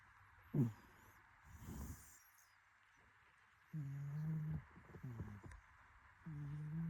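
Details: Cat snore made of low, steady droning breaths lasting roughly a second each, separated by quiet pauses, with a few short sharper sounds in between.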